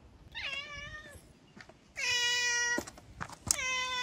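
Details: Two hungry stray cats in Japan eating in the morning as spring approaches; clear harmonic meows, a short one near the start and a long steady one, then another rising meow, with faint clicks and bumps between.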